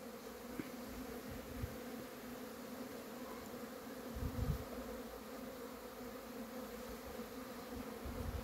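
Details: Honey bees out of the hive on a cleansing flight, giving a soft, continuous buzzing drone, broken only by a few faint low thumps.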